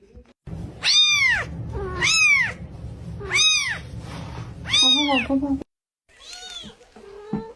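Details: Mother cat, possessive of her kittens, gives four loud drawn-out meows, each rising then falling in pitch, about every 1.3 seconds, followed by a softer, fainter meow after a short pause; a low rumble runs underneath.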